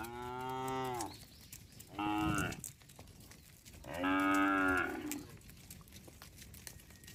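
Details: Herd of tame cattle roaming on a road while being herded: three rich, drawn-out moos over about seven seconds, the last the loudest, with light chirping between calls.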